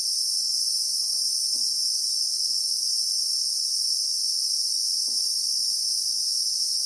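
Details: Steady piercing whine of Christmas beetles (Anoplognathus) in South African bushveld, captured in real time; the high double-layered buzz never wavers, and a couple of faint low knocks surface near the start and later on.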